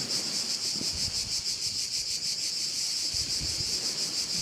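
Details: Continuous shrill cricket chorus at a Korčula bay in Croatia, a bright high whine pulsing in quick regular beats, with gentle wind noise in the background.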